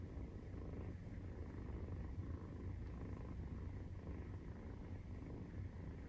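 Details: Deep, constant rumbling purr of a Maine Coon cat while nursing, on the kittens' 43rd day of life, steady in loudness from start to end.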